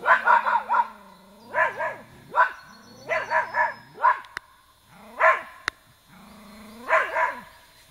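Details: Pair of Irish terriers barking in quick runs of three or four harmonic yelps, with low humming whines running under some bursts. Single louder barks follow near the end. A couple of sharp clicks are heard.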